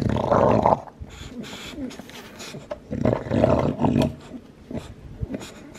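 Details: Olde English Bulldog, a two-year-old lilac tri male in the USA, chewing his bone: heavy crunching bursts at the start and around the middle, with lighter clicking bites between.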